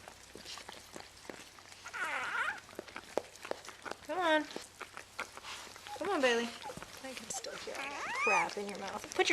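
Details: Vizsla–rottweiler newborn puppy from Bailey's litter at birth, several thin bending squeals spaced a few seconds apart, with steady chatter and coaxing voices throughout.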